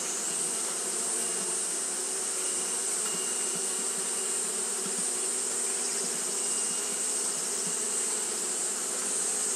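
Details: On a hot day, Japanese honey bees keep up their fanning behaviour, giving an unbroken low drone with several layered hum tones beneath a steady, bright high hiss.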